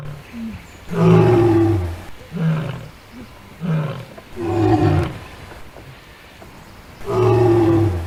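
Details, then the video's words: Adult lioness from the African savanna giving a roaring sequence: a long deep roar followed by a string of shorter, throaty grunts at irregular intervals, then another full roar near the end. "Lionne qui Rugit"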